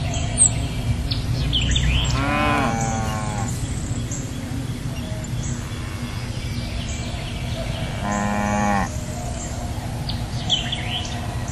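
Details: Cow mooing twice, each a long harmonic lowing call with a rising then falling tone, several seconds apart; small birds chirp in the background over a steady low rumble.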